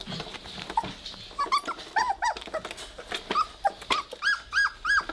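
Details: Indoors, three-week-old Weimaraner littermates tussle in play, giving scattered short, squeaky, bent yips and whimpers that come faster toward the end, amid light rustling and bumps.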